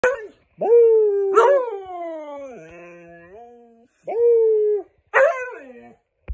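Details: Female Siberian husky howling together with her owner: long tonal howls, one sliding steadily downward over about three seconds, followed by shorter level howls and a yelping rise, with brief pauses between.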